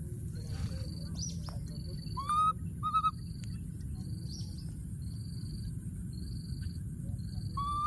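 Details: Wild baby monkey hiding in a thorny tree, calling for his friend: short, clear whistled cries that rise in pitch, given in small irregular bursts over a steady low rumble and a pulsing insect buzz.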